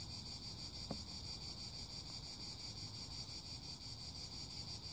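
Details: High, droning cicada buzz with quick regular pulsation continues nonstop, a brief knock near the start, and a steady low rumbling noise underneath.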